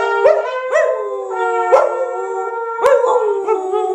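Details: Several Samoyeds howl along to 'Happy Birthday', each howl starting with a sharp upward swoop then holding a steady rich tone, voices overlapping in a continuous chorus.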